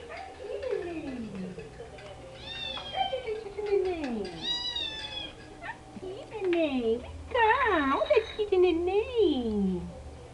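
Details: Rescued female cat Cheetara vocalising at the camera at home: falling, wavering meows and a few higher bright calls interleaved with a woman's soft Portuguese coaxing; a low hum runs underneath.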